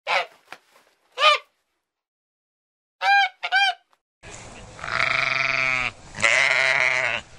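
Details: Goat bleating: first a few short, nasal, quavering bleats separated by gaps, then two longer, louder, wavering bleats in close succession.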